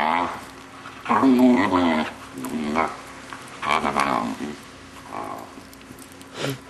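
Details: A six-month-old male Vizsla makes weird noises while his owners play with him. Wavering, moaning, growly vocal bursts with rising and falling pitch come in four separate stretches, separated by brief pauses, indoors.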